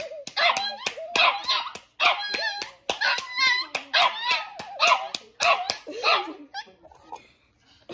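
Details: A dog sitting on a girl's lap barks as someone claps hands with her: rapid, high, yappy barks in quick bursts, broken by sharp handclaps throughout, then fading to quieter whines at the end.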